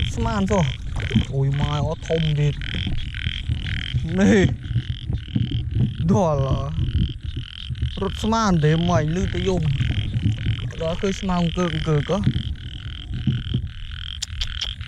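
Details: Large frogs at night during heavy rain, found while hunting frogs by torchlight: loud rising and falling croaks in bursts, several callers overlapping, with a constant high hum, talking and music in the background.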